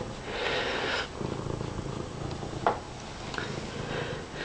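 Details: Domestic cat wandering around indoors and being friendly, purring loudly: a steady low rumbling purr running throughout, with a brief soft click and light handling noise.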